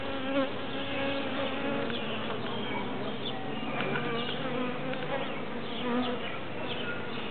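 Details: A mass of bees in a tree makes a thick, even buzzing drone with layered overlapping tones and no clear breaks.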